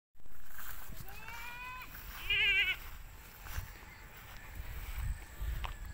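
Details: A goat suffering from diarrhoea gives a wavering, harmonic bleat, then a shorter quavering one, followed by quiet with low rustling.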